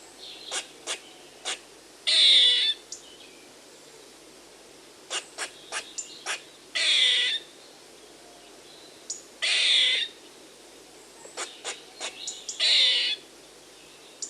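A squirrel gives harsh, hissing half-second bursts every few seconds, with quick sharp chips in between.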